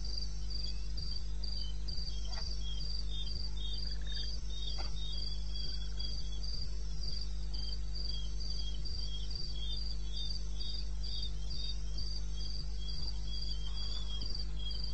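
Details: Cricket chorus in the eastern Botswana wilderness at night, 02:30 AM on 21 May 16, with continuous high pulsing chirps running throughout, a few faint clicks, and a persistent low droning hum underneath.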